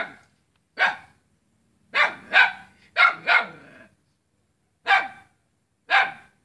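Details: On 5 August 2017 in Selat, Kapuas, Central Kalimantan, a dog barks at its own neighbour, loud hoarse barks singly and in pairs, some with a rough growly edge, spaced irregularly through a quiet street setting.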